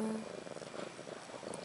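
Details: Close purring in a household setting around mother cat Ashley and her two newborn female kittens, born March 30, 2013; a dense, evenly pulsed low rumble over a short stretch with soft background hiss.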